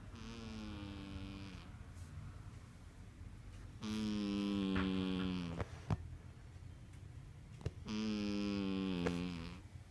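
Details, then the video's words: Miracle, a sleeping female house cat, snoring: buzzy, strongly harmonic snores of about one and a half seconds each, returning roughly every four seconds with quiet breaths between, over a faint low hum. "CUTEST CAT SNORING"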